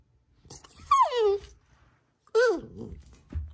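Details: A female Vizsla puppy, vocal when she cannot have something or feels sassy, talks back indoors with a long falling whine, then a second rising-and-falling whining grumble, a pause between them; the owner speaks afterwards.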